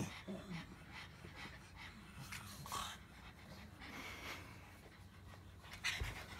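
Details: Pug making low grumbling and panting sounds, a rough throaty rumble beneath breathy huffs and snorts that rise in short bursts, with a sharper snuffle near the end.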